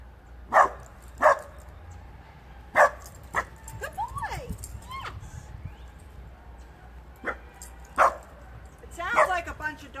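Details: Several dogs barking outdoors near construction, with short broadband barks at irregular intervals, about three in the first second and a half and more later, mixed with a person's voice, faint whining, and background machinery noise.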